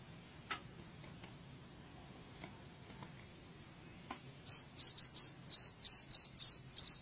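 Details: Cricket sound for repelling rats in Indonesia: a faint steady hum with scattered clicks, then loud shrill chirps start, about three per second, over the final seconds.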